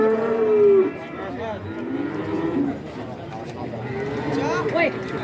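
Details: Cattle at the Kajen cattle market in Pekalongan, Central Java, Indonesia; a loud drawn-out moo opens, then lower overlapping moos and bellows from several animals amid market chatter.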